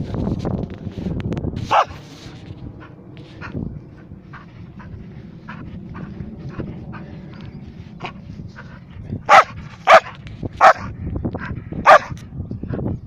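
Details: Wheaten terrier barking amid low background rumble: one sharp bark near the start, then a burst of four loud, short barks spaced under a second apart toward the end, with quieter scattered noises between.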